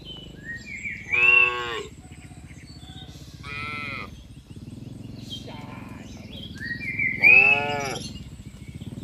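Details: Tame cattle being herded as a herd from a wide green field to their pen; several drawn-out, harmonic-rich moos rise and fall about every two seconds over a steady low rumble.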